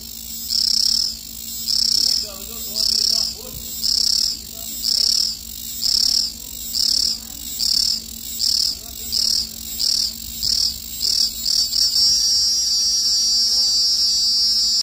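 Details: A male cicada sings with its abdominal tymbal organ in shrill, buzzing bursts about once a second that speed up and merge into one continuous high-pitched whine.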